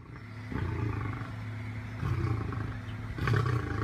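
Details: A rescued captive lion growls in a deep, steady rumble that barely pauses, with slightly stronger surges about every one and a half seconds over a dull background noise.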